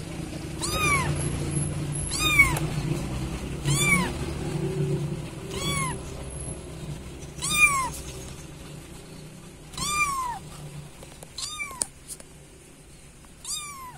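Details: Kitten calling for its mother: high, thin meows that arch up and fall, repeated roughly every one to two seconds, about eight in all, over a low background rumble.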